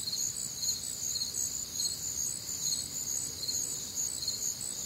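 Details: Summer night in the humid Midwest, crickets chirping in a thick high-pitched chorus; pulses come a little over twice per second, steady and unbroken, with faint low rumble underneath.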